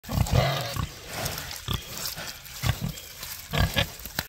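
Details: Free-range Hereford pig carrying hay in her mouth on a farm; low, short grunts come in small clusters every second or so, with rustling and handling noise between them.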